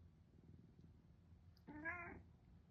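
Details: Indoor domestic cat, a female born in 2015, meowing as if replying to its owner; one clear, short, wavering meow of about half a second, over a low background hum.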